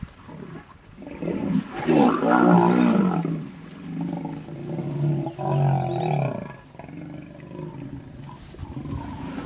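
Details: Hippos in a tense stand-off, Vurhami River, Kruger National Park, South Africa, where a female vehemently guards her young from a male. Two swelling waves of deep, wheezing, honking roars with rhythmic pulsing, fading into quiet.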